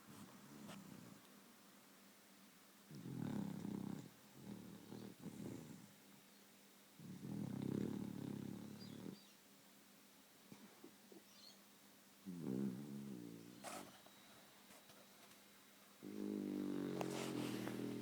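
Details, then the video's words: Female beagle asleep, snoring and twitching; low rasping snores come in long rhythmic bursts a few seconds apart, separated by quiet pauses, in a calm indoor setting. "Beagle Snoring and Twitching"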